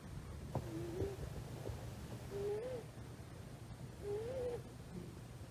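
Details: Quiet snoring from a female rescued kitten, about three months old, fast asleep on a person's thigh; three gentle whistling tones that rise and bend, roughly every one and a half seconds, with faint low background rumble.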